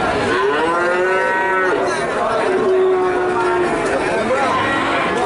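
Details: Calves from Nganjuk, Indonesia, give overlapping moos; one clear long, level moo stands out mid-way among rising and falling calls from others in a crowded herd.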